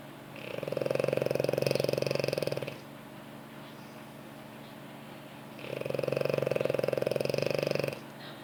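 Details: Sleeping French Bulldog curled on its owner's lap, snoring loudly in two long, steady, vibrating breaths of about two seconds each, with a quiet pause between them in a small indoor room.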